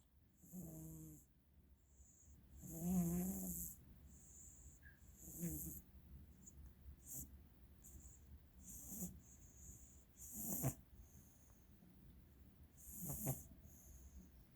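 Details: Pet cat with very bad allergies snoring quietly: soft, low rasping breaths recur every two to three seconds, some with a brief nasal whistle, over faint background hiss.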